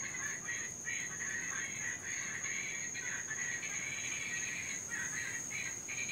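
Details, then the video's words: Invasive Cuban tree frogs calling through the night in Florida, louder when raining: a dense, nearly continuous run of rasping, snore-like calls from several frogs, with a constant thin high whine underneath. "NOISY TREE FROGS...(CUBAN)"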